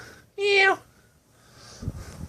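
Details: Snowball, a lost, abandoned kitten found in the middle of the street malnourished, shaking and dehydrated with infected eyes, gives one short, high meow indoors that ends with a slight downward slide, followed by quiet rustling.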